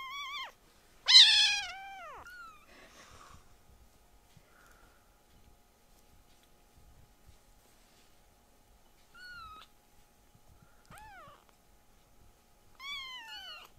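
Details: Loud rescued foster kittens indoors, their cries startling the older brother cats: about five meows, the first very loud and drawn out, later ones shorter, each bending downward in pitch, separated by near-silence and faint taps.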